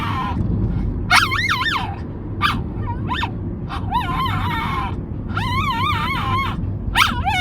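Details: Moko the puppy, known for a strange, dinosaur-like voice, lets out wobbling, undulating whines and yelps. Several follow in quick succession, some rising sharply, over persistent low-frequency background noise.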